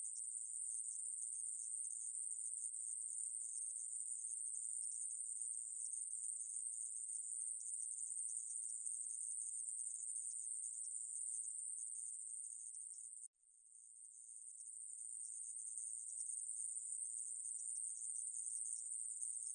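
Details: Long, steady high-pitched buzz of a conehead katydid from the National Institute of Biological Resources, 2020, interrupted by one short break around thirteen seconds before it fades back in and continues.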